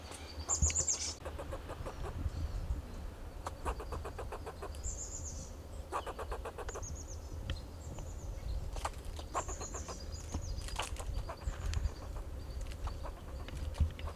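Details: Fox squirrel giving alarm calls from coast live oak and Monterey pine trees in Del Monte Forest, California, to protect itself and its territory: bursts of rapid, dry chattering pulses in repeated series, with thin high squeaky notes and a steady low rumble beneath.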